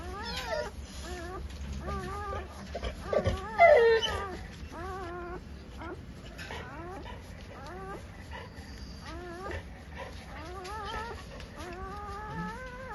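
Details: Newborn Labrador Retriever puppies just after delivery at home in Sinnar, Nashik, Maharashtra; many short, thin squeals and whimpers, each rising then falling, overlapping in quick succession, with soft background hum and a brief louder cry midway.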